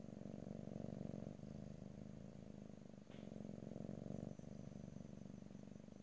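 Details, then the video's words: Domestic cat purring close up in stereo, no talking; a low, finely pulsed rumble, louder on some breaths, with brief breaks around three and four seconds, a faint click and a steady high background hum. "ASMR Cat: Purring"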